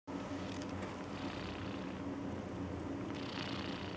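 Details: A sleeping female cat snoring; a steady low rumbling texture runs through the whole stretch with soft breathing noise, indoors and close up.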